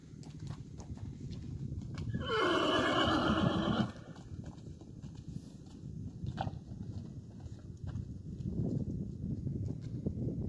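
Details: Lipizzaner horse neighing at the Spanish Riding School in Vienna, Austria, home to a newborn female foal; one strong, quavering whinny of nearly two seconds, then low shuffling, hoof knocks and stable rumble.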